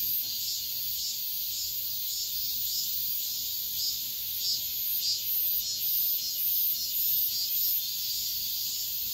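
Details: Midsummer dawn chorus of cicadas, a continuous shrill buzz pulsing faintly in regular waves, about two swells per second, over a quiet background.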